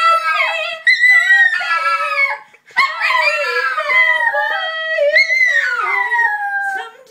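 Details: Chloe, a pet Chihuahua, belting along to Adele indoors with loud, continuous yodel-like howls that glide up and down in pitch, broken by one short pause partway through.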